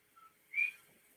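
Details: Small coqui tree frogs heard on Hawaii's Big Island each give a two-note call: a soft lower whistle, then a louder, higher rising note.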